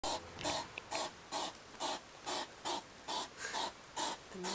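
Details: Two hedgehogs in a yard on a July 2009 evening huff in quick, breathy snorts, about two each second, while squabbling; the older one, probably a male, retreats from a young female.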